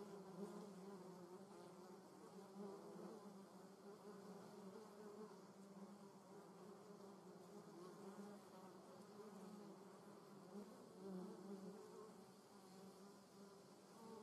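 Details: German wasp buzzing in a garden: a soft, sustained droning hum with layered overtones and gentle pitch fluctuations, a little louder at the start and again toward the end.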